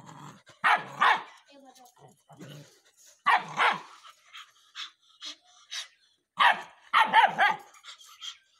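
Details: Rottweiler puppy speaking on command, giving sharp barks in short bursts of two or three between quieter gaps, with faint voices in the background.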